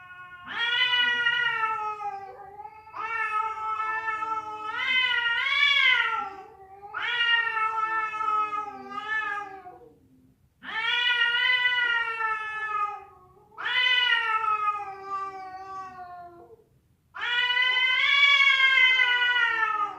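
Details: Cat cry attributed to a fight or a female calling a male; a series of about seven rough, rising-and-falling yowls, each a couple of seconds long with short silent gaps, some ending in wavering quavers.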